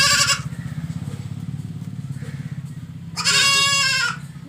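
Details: Goat bleating: a brief bleat at the very start, then after a quiet stretch a loud, nasal, quavering bleat of about one second, all over a steady low mechanical hum.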